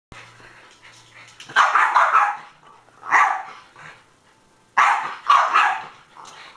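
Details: Norfolk Terrier, male, trying to jump out of his cage: harsh, noisy barks in clusters, a double bark, a single one, then another double bark about two seconds apart.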